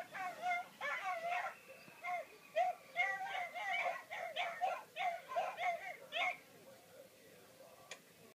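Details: A Basset Hound watching its favourite programme gives a string of short, high whines and moaning yodels, each rising and falling in pitch; faint voice-like sounds, perhaps from the show, may sit beneath.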